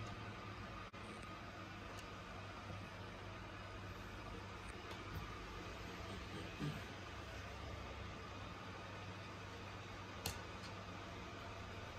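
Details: Low steady hum and hiss, as from an aquarium pump, with a couple of faint clicks and knocks and no animal voices.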